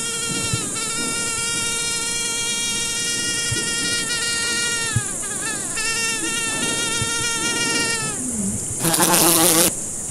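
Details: A fly buzzing steadily for about seven seconds, a droning hum rich in overtones. The pitch dips briefly midway and falls away near the end, followed by a short burst of rustling noise. A constant high hiss runs underneath.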